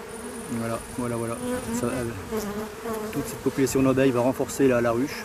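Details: Drone-laying hive honey bees in flight after being shaken from their frames about fifty metres from the apiary, settling toward a hollow tree trunk. Dense overlapping buzzes with pitch swoops over a constant hum, busier toward the end.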